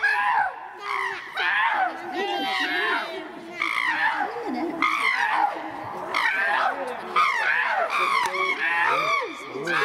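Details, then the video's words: Chimpanzees Tommy, William and Peter, castrated males housed at Chimpanzee Eden, Twycross Zoo, fighting as Peter repeatedly whacks Tommy and William runs around them; harsh, overlapping harmonic screams rise and fall almost continuously, with brief pauses between bursts. "Chimp Gets Injured As Loud Fight Breaks Out"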